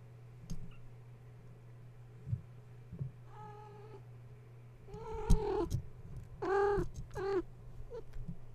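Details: Gaia's kittens, woken at bedtime when a space heater was plugged in and now climbing and playing around their mother: several bright, harmonic meows, some rising then falling, the loudest clustered near the end, over a steady low electrical hum and light knocks.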